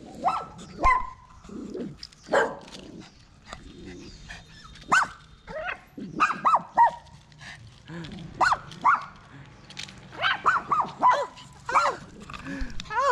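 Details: Poodle giving birth to seven puppies of identical color; repeated high, arched whining squeals in short bursts, some doubled, scattered through the recording with quiet gaps and faint rustling between them.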